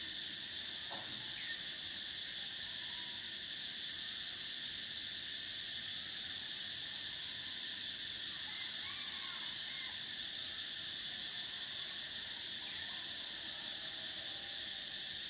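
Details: Cicadas singing on a summer day: a dense, unbroken high buzz that steps up and down in pitch a few times, with faint distant bird calls mixed in.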